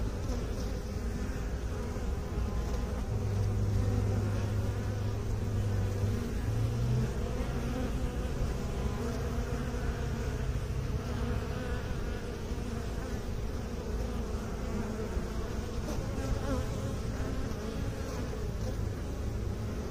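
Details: Continuous humming drone of honey bees from a beekeeping context. The low buzz is rich in overtones and holds steady. A separate flat, steady low tone runs underneath through the first half.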